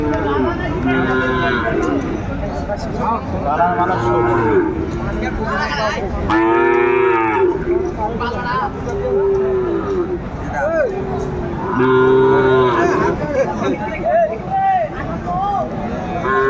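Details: Sahiwal cattle at a busy Kurigram cattle market in Bangladesh, 31 December 2024, winter. Repeated loud lowing in bursts of about a second, one long full-throated moo near the middle, with buyers and sellers haggling throughout.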